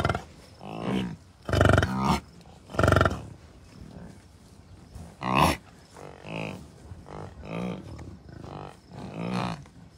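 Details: Herd of wild bison cows, bulls and dozens of calves at Rocky Mountain Arsenal Wildlife Refuge, Commerce City, Colorado, June 2, 2022. Scattered short nasal bleats and grunts from several animals are interrupted by loud gusts of wind buffeting.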